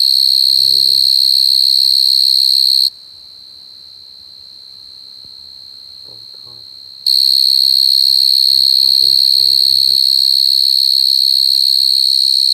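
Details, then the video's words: Coconut crickets crying: a loud, steady high-pitched whistling drone with bright overtones that cuts out for about four seconds midway, then resumes unchanged. Faint low voices murmur underneath. "Crying coconut crickets សត្វចង្រិតដូងយំ"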